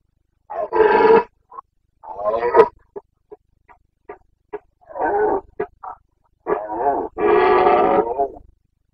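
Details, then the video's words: Carpathian stag roaring during the breeding season in the Bucovina mountains, 29.09.2022: long, hoarse bellows broken by a run of short, clipped grunts, then a final extended roar in a still background. "Boncănit / Carpathian stag Breeding season 29.09.2022"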